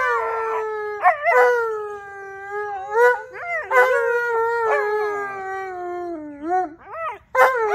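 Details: Tonka and Monroe, a pair of Alaskan Malamutes, in a St Patrick's Day howling session: drawn-out harmonic howls that slowly fall in pitch, punctuated by quick yelps and warbling upward swoops from the second dog.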